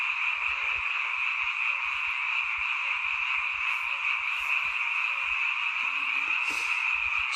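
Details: Frogs croaking at night near a mountain village home, a seasonal sound; a thick, constant high-pitched trilling chorus with scattered low knocks and brief faint rustling noises.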